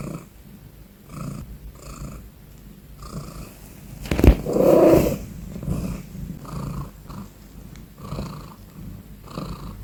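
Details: Domestic cat purring loudly indoors: soft rumbling bursts pulse with each breath about once a second, with a brief louder throaty sound midway.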